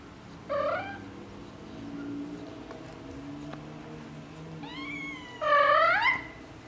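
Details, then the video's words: Tabby cat mother talking to her kittens: a brief meow, then a pause, then a drawn-out rising and falling meow nearly a second long, with a low steady hum underneath. "Tiger Cat Mom Talking to Her Kitt"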